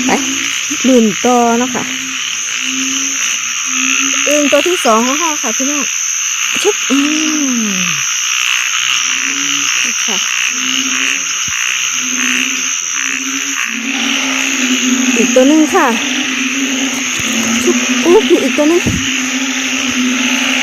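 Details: A frog chorus of อึ่งเผ่า and อึ่งยาง, at a site crowded with people. Bent, harmonic croaks come in bursts from several callers over a continuous humming tone, with scattered clicks and nearby Thai speech.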